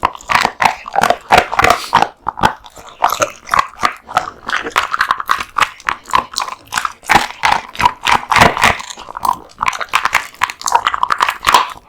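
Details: Male American Bully devouring a large lunch of raw meat and bones: rapid, repeated crunching bites and wet smacking chews in a steady stream for the whole stretch.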